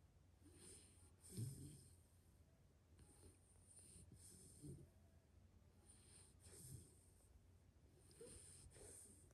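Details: A sleeping pit bull snores in deep, rumbling breaths, each recurring roughly every two seconds.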